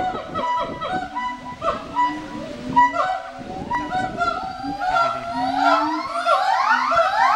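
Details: Several gibbons at Twycross Zoo call at once, their clear hoots sliding and overlapping, then sweeping upward into quick, rising siren-like whoops toward the end.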